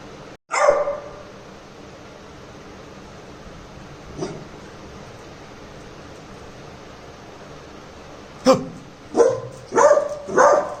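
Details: Labrador Retriever puppy named Cherry, in Jaipur, filmed during a prank testing whether it is protective; a single sharp bark, then quiet, then a cluster of three or four short barks near the end over steady background hiss.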